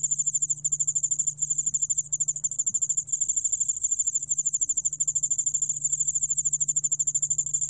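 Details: Yeoul-allak-bangul-beolle cricket, a Korean species, recorded by the National Institute of Biological Resources in 2020: a high, steady chirping trill of rapid pulses running without pause, with a fainter lower harmonic and a soft low hum beneath.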